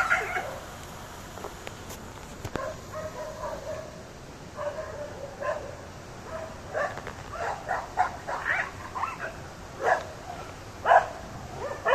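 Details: Dogs in Ooty barking as a cheetah attacks them. Sparse yelps at first, then a burst of rapid, uneven, mid-pitched barks fills the second half, roughly one per second, over a constant hiss.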